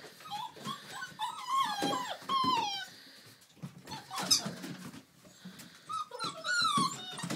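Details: Playing Old English Sheepdog puppies aged six weeks give sharp, bending yelps and squeals in quick bursts, mixed with low growls and rustling, then a final cluster of high whines.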